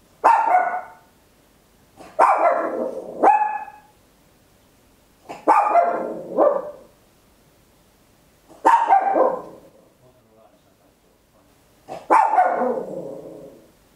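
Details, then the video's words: Papillon dog barking loudly at home, stereo recording made with an Olympus LS-11: repeated pairs of sharp, shrill barks, one double bark roughly every three seconds, with quiet between them. "Tiny Dog Barking Very Loud, Papillon"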